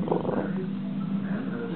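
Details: Male Boston Terrier growling as his owner pretends to take away his knuckle bone; a steady, low, rumbling growl holds unbroken for the whole moment, with no other clear sounds.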